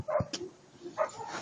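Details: Attila ot Salmoxis, a German Shepherd pup of eight months, lets out two quiet, short barks about a second apart, with faint thumps and room noise around them.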